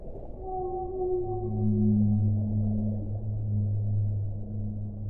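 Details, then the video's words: A whale gives a long, deep, sustained moan that swells in loudness, its steady tone layered with higher overtones, while a soft low rumble continues underneath. "1 ora di suono delle balene"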